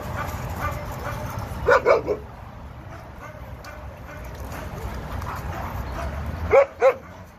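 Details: Kenneled Labrador Retriever, one of two abandoned eight-year-old seniors found in an industrial field by the 710 freeway: a burst of three sharp barks, a long lull of low hum, then a closely spaced pair of barks.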